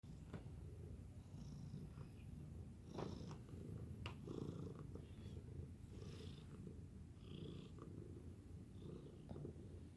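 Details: Domestic cat purring: a soft, continuous low rumble throughout ten seconds, steady and even, with a few faint clicks and rustles.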